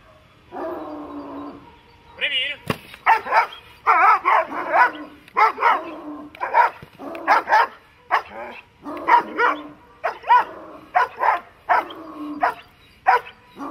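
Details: Dog barking during protection training, loud harsh barks in irregular bursts of about one per second, following a drawn-out opening vocalisation, with faint voices in the background.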